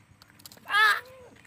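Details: Young goat kid, a boy's playful companion that keeps coming back after being chased away, gives one short, loud, strained bleat rich in overtones, ending in a quieter falling tail; faint chirps in the background.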